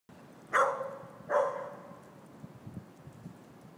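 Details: A 2-year-old Weimaraner, wrestling and teasing with its brother in New York City, gives two quick, bright, slightly yelping barks less than a second apart, with soft scuffling and thumps behind.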